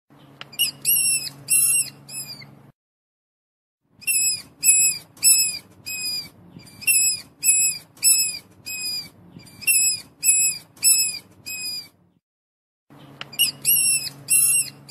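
A mouse gives rapid, high-pitched squeaks in short bursts, each a quick string of thin chirps.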